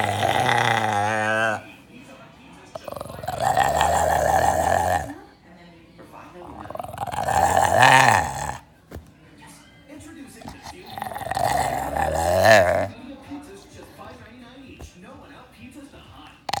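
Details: A brown and white bulldog makes odd, wavering, voice-like groans in drawn-out bursts, with quiet pauses between, while a finger rubs its mouth.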